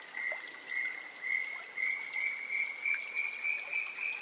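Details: A Cururu toad (Rhinella icterica) gives a long, steady, high trill in pulsing waves over running water, recorded at a stream in RPPN Corredeiras do Rio Itajaí, Itaiópolis, Santa Catarina, Brazil.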